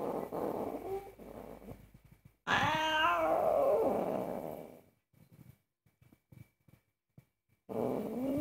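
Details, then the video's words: Very angry domestic cat protesting indoors while its owner cooks, giving a loud harmonic meow that rises then falls and fades into a drawn-out growl, then quiet with scattered small kitchen clicks and a steady faint background tone. "Angry cat forbids me to cook"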